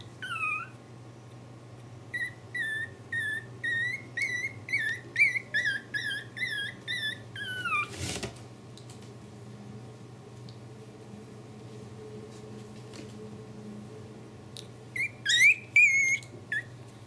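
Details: Pomeranian puppies, 28 days old, indoors: high thin squeaking whimpers rising and falling, repeated in quick bursts for about eight seconds, a knock, then quiet hum before a few more squeaks near the end.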